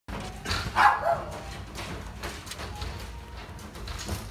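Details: Male black-and-tan Miniature Dachshund, born 7 May 2018, gives one sharp, short bark near the start, followed by quieter indoor background noise.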